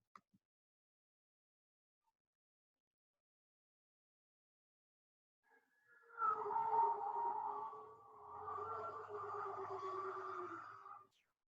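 Bowhead whale song: a wavering, nasal moan with rich overtones, arriving after several seconds of silence.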